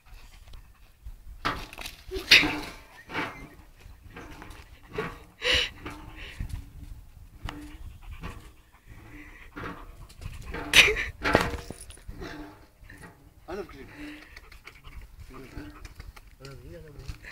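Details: German Shepherd spooked by a trash can, panting in rapid breathy bursts that come and go, with a person talking nearby and scattered handling knocks.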